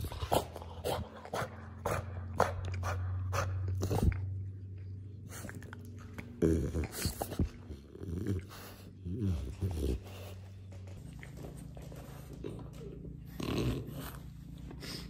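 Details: French Bulldog begging indoors, giving short bursts of low grumbling and whiny vocal sounds, some drawn out, over a steady low hum, with human speech mixed in throughout.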